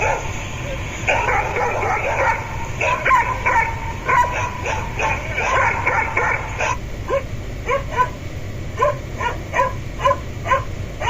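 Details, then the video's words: Pet dog vocalising to be let into a room: drawn-out, wavering whines and yelps first, then quicker clipped yips and barks in a loose series, with a low background hum. "Dog Barking Sounds Effects | Realistic Dog Barks Sounds | Dog Sounds ASMR"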